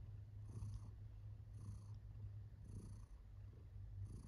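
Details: A contented female domestic cat purring softly indoors, a steady low rumbling hum with gentle pulses swelling roughly every second; quiet, close recording with no other clear sounds.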